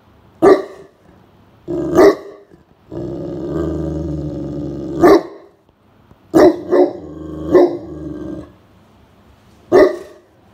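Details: Great Pyrenees Blanche, guarding the house during a nap in a cool room on a day above 30°C, reacts to a suspected intruder. Deep, resonant barks, some paired, surround a sustained low growl lasting about two seconds.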